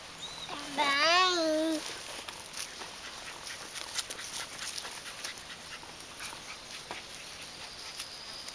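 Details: Alapaha Blue Blood Bulldog puppies with blue eyes at a kennel: one puppy lets out a single drawn-out, wavering whine of about a second, then only faint rustling and a quiet room remain.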